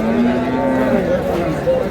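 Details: Short, steady low moo from a cow at the Ambari livestock market in Dinajpur, April 20, 2026, with a murmur of people behind it.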